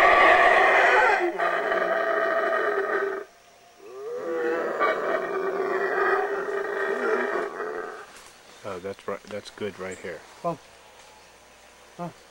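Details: Wild howler monkeys howling in Belize: a loud, rough, sustained roar for about three seconds, a short break, then a second long roaring bout, with choppy voice-like bursts closing the recording.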